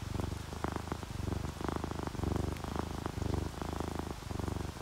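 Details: Contented purr of a resting domestic cat, orange tabby or calico, purring when happy and relaxed; deep vibrating rumble swells and fades with each breath, rain barely audible behind.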